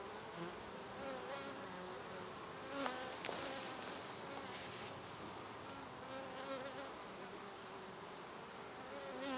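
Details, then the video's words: A settled honey bee swarm at a farm, recorded June 2012: a steady, thick drone of many bees, individual wing tones sliding up and down through the hum, with a brief tap or click near the third second. "Honey bee swarm all settled in at the farm"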